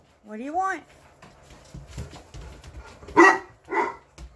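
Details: English Mastiffs, gentle giants named Roxy, Riley, Cammie, Sammie, Axl and Rose, talking back: a rising then falling moan-like howl early on, followed by a few short barks; a woman talks to the dogs between sounds.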